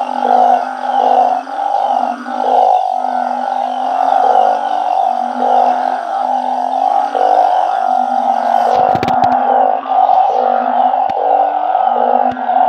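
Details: A backyard group of truncate-snouted burrowing frogs calling en masse after dark. Rhythmic droning notes overlap steadily, with a sharp handling bump midway and the chorus continuing unbroken.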